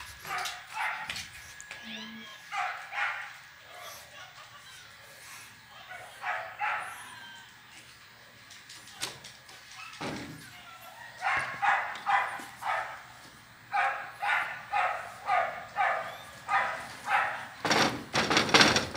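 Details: Playful female Siberian Husky puppy named Pandora; scattered yips early, then a steady series of high, evenly spaced yelps near the end, mixed with human speech and some knocks.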